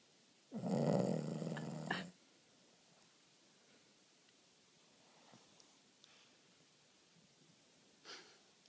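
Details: Boston Terrier bitch in deep sleep giving a single loud, grating snore lasting over a second, then near silence with faint breathing and a small sound later.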